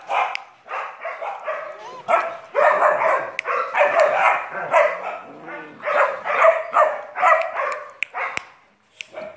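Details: A 3-month-old German Shepherd puppy gives rapid, uneven bursts of high, yappy barks, about two each second.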